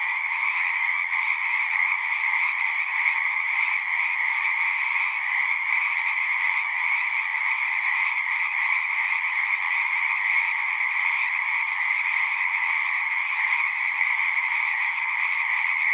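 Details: Steady massed song of frogs from a pasture pond, recorded with a Zoom device; countless overlapping trills merge into a continuous shimmering drone that never pauses or fades.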